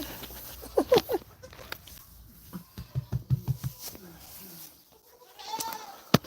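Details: On a farm, a goat that is trying to jump on a man's back while he searches for eggs gives a short, wavering bleat; he talks over soft rustling, and a fainter bleat follows near the end.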